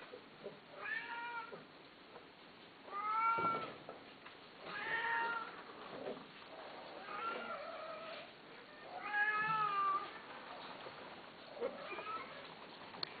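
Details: Quiet, short cat meows come every couple of seconds, each a brief harmonic call with a slight rise and fall, over a low background hiss.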